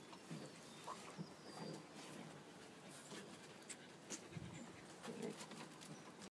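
A French bulldog pants and snuffles in quick, breathy bursts with occasional soft snorts.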